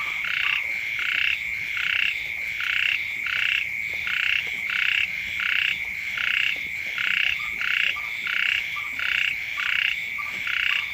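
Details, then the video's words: A frog chorus rings out beside a dwelling as the first rains fall. Rasping, pulsed croaks swell and fade about every 0.8 seconds, layered over an unbroken thin high drone. "เสียง กบ เขียด ร้อง อยู่แคมบ้าน"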